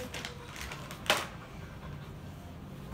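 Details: Indoor room tone with light rustling and one sharp click near the middle, with no animal voice heard.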